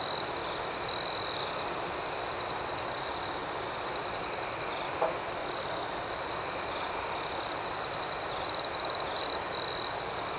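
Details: Crickets at night in a soothing outdoor chorus. A steady high, shimmering trill runs throughout, with pulsing notes above it. A brighter, louder trill breaks through near the start and again near the end, in short rapid bursts.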